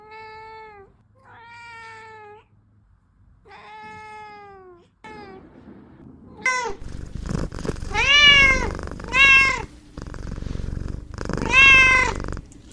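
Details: Kittens playing: soft, steady meows at first, then louder, higher, arched mews in quick pairs from the second half onward over a faint low hum.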